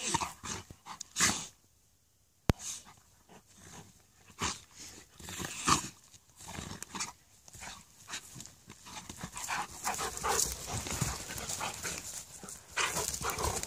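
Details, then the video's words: Friendly fighting between a Malamute and a Husky, two dogs in rough play: panting, snarly growls and occasional barks in irregular bursts, a brief silence near the start, then steadily louder scuffling vocal play. "Malamute vs Husky ( friendly fighting )"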